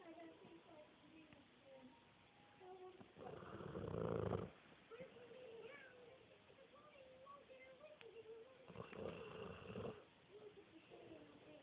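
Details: Indoors, a 12-month-old pet Dogue de Bordeaux wearing glasses snores like a pig. Two harsh, rumbling snores are separated by about five seconds, with soft tonal background sounds and faint voices in between.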